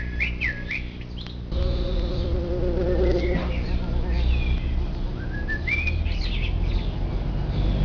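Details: Morning traffic of bumblebees at a nest hole in the ground covered by an upside-down clay pot. Humming buzz swells and fades as bees hover and drop inside, with scattered whistled bird chirps in the background.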